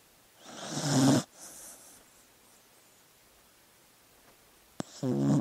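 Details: Dog sleeping; two loud rasping snore-like breaths, one around the first second and another at the end, separated by quiet with a faint softer exhale and a sharp click between.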